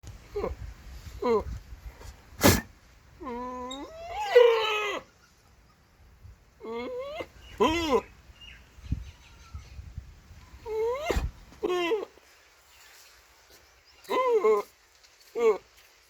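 A goat gives a series of quavering, nasal bleats, each wavering in pitch, with sharp clicks between.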